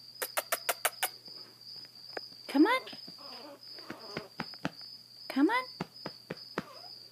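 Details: A grumpy blind Chihuahua puppy named Zada, seven weeks old, with hydrocephalus, rescued in Fort Worth, Texas, lets out two brief arching whiny yelps about three seconds apart, among sharp tapping clicks and a person softly coaxing her.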